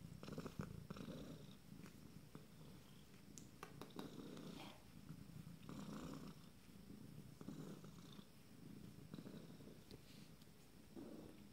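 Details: Abyssinian kittens from a first litter, 26 days old, purring: a steady low rumble with soft swelling bursts every second or two, plus faint clicks and rustling in a small room.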